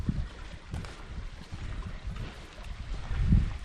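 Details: Low rumbling wind buffeting and water noise with occasional thumps, and no animal calls.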